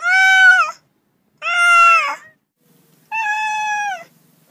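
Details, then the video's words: Domestic cats meowing: three long, steady, clearly harmonic meows, each close to a second long, separated by short silences, with a quiet background. "30 minutes of Cats' Meow"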